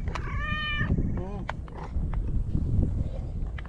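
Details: Shiro, a lone white stray cat living on tetrapod breakwater blocks in Japan, greets a visitor warmly: one long harmonic meow held steady, then a shorter falling one, while a person softly calls its name over low outdoor rumble.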